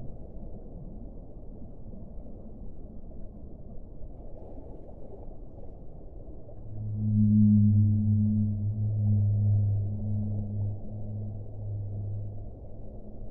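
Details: One deep whale moan rises out of steady underwater rumble after a quiet start. It holds as a long, layered, resonant groan for several seconds before fading.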